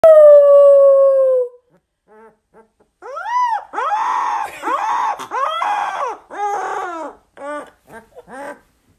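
A Rottweiler puppy howls, a long falling tone followed by wavering, arching yowls.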